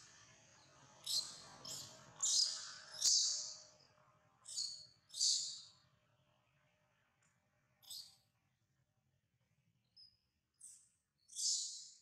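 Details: Monkey Jody crying and calling its mother for help while another monkey, Spring, tries to kidnap it; shrill, high squealing bursts come in a quick run of about six, then sparser single cries, with a faint low hum underneath.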